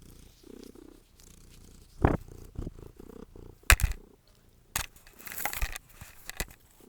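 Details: Domestic cat trilling and purring while fetching and exercising indoors; a low purr in short bursts, then a sharp chirped trill, with loud thumps, clatter and rustling from the play.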